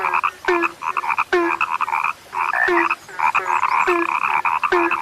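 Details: A chorus of frogs described as now rare, calling in quick, rattling croak bursts layered over one another, with a steady low tone marking each new phrase roughly every second.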